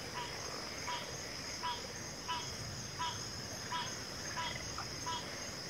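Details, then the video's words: Backwater frog chorus, pig frogs and water frogs among the callers: a short croak repeated roughly every 0.7 seconds in a steady rhythm, with a constant high-pitched insect hum beneath. "FROGS - Pig Frogs, Water Frogs, Backwater Chorus, & Frog Chorus"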